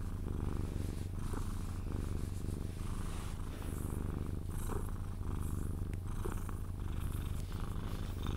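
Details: A Sphynx cat purrs continuously during cuddles, drifting toward sleep; deep even rumble with soft alternating inhale and exhale phases and faint light clicks or kisses scattered through.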